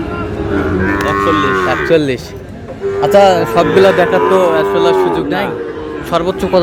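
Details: Moos from Sahiwal bull calves at a cattle market, bought by a farmer from Noakhali on 27/7/26. A long, steady lowing tone runs for well over a second, then a wavering second call follows, amid nearby male voices.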